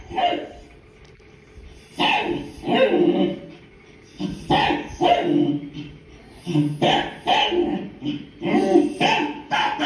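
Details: Domestic dog reacting to barking heard on the television, giving loud, abrupt barks in clusters of two to three, bursts separated by brief quiet gaps of about one second.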